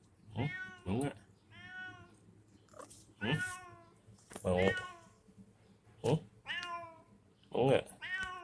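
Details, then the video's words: A cat at a small shop meowing in several clear, bending mews about a second apart, overlapping with a person talking nearby indoors. "kucing lucu"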